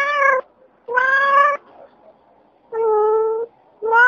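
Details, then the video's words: Domestic cats from California giving repeated meows, four harmonic-rich calls of about half a second to a second each, steady in pitch, separated by short quiet gaps indoors. "SOUNDS OF AMERICAN CATS 2023"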